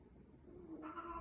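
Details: Scottish Fold cat during mating: a low, muffled murmur gives way to a short, brighter harmonic cry at the end, quiet over a steady indoor hum.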